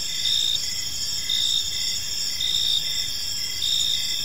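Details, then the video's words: Several crickets chirp together in a park at evening, their continuous high, ringing trill rising in short louder bursts roughly every second, with only faint low background noise. "Park Serenade: Cricket Sounds in a Peaceful Park"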